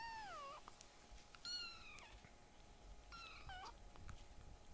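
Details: Small rescued foster kittens indoors, being loud: a few short, softer meows, one dropping in pitch at the start, then two brief flat cries, with background hum and light rustling.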